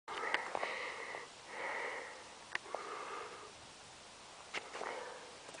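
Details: Geordie, a Clydesdale horse at Karendale Clydesdales, trotting up a steep hill, breathing hard in rhythmic, airy blowing exhalations about every second, with a few sharp clicks and thuds between the breaths.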